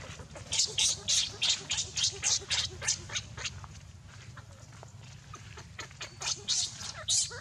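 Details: Baby monkey Leo, hungry and crying to beg its mother for milk: a rapid run of shrill, high squeals, about three or four per second, loud at first, quieter in the middle, then loud again.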